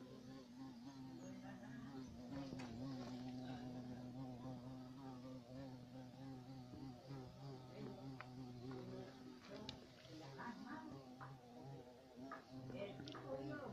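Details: European carpenter bee, Xylocopa violacea, buzzing steadily in a deep harmonic drone for the whole stretch, broken by scattered clicks and knocks in the second half.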